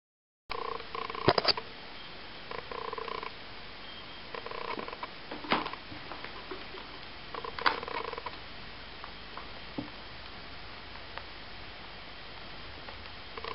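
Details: Eight-week-old Ocicat kittens from Malika and Frodo's litter give short, throbbing, pulsed calls at mid pitch, scattered through the recording, with sharp clicks and knocks in between against a steady background hiss.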